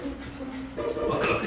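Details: Shetland Sheepdog begging for food just before a meal, giving a steady mid-pitched whine that shifts upward and grows louder and rougher toward the end, with room noise behind.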